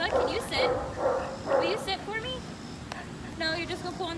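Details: Shepherd mix dog giving four sharp barks about every half second, followed by softer voices and shuffling.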